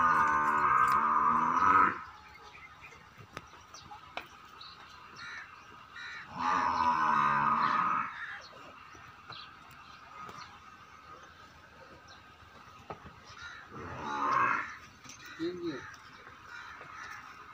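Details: At Rana Dairy Farm, Rajanpur, a young buffalo heifer being sold calls three times: two long, rich, evenly pitched moos of about two seconds each, several seconds apart, then a shorter, softer bellow, with light background noise.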